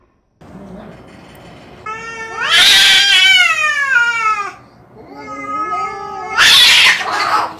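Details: Domestic cat caterwauling loudly: a long wavering yowl that rises then falls, a short pause, then another sustained yowl ending in a harsh burst.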